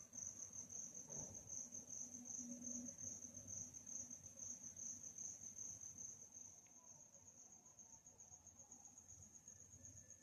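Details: Crickets chirping in a calm nighttime setting: a steady, unbroken high-pitched trill runs through the whole stretch over a soft low rumble, with a brief thud near the start.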